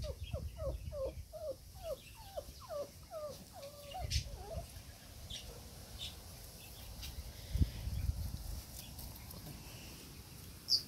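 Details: Five-week-old Labrador Retriever puppies exploring a garden: a quick run of about eight short, whiny, bent yelping notes over the first three seconds, then rustling and faint high bird chirps in the background.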